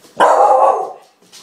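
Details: Staffordshire bull terrier mother and her pup play fighting with a toy indoors; one loud, harsh bark lasting about half a second, then quiet.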